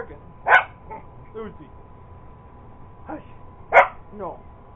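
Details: Purebred Cocker Spaniel, a sister's dog, going after an iRobot Roomba robot vacuum indoors: two sharp, loud single barks about three seconds apart, with a woman's voice talking between them.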